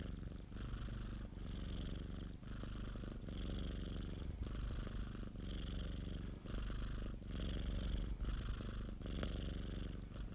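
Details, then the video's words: Pet cat's purr recorded up close: deep, rough rumbling pulsing in even breath-length swells about once a second, unbroken and quiet, nothing else audible. "고양이 골골송 ASMR 1시간(고양이 그르릉 소리) - Cat purring ASMR"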